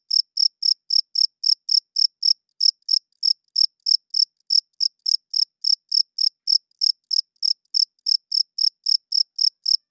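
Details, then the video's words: Night chirping of crickets, made by males rubbing their wings together to attract females and hold territory: crisp, high, evenly spaced chirps, roughly three or four each second, with nothing else heard. "40 Minutes of Cricket Chirping Sounds - Cricket klinkt 's nachts luid"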